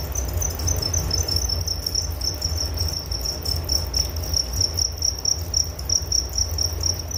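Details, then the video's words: Crickets chirping, offered as a soothing sleep sound: high, shrill chirps repeat in quick regular beats, several each second, above a constant deep rumbling background. "Relaksasi Suara Jangkrik Penghantar tidur || Nature Sound of Crickets"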